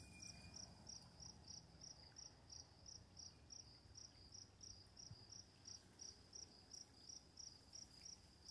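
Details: High, regular cricket chirps at night, about three per second and evenly spaced, sit above a soft wash of running water.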